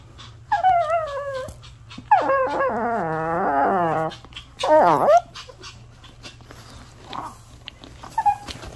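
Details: Puppy left indoors whimpering as its owner tries to go out: three drawn-out, wavering whines, the middle one longest at nearly two seconds, followed by a few soft short squeaks over a low steady hum.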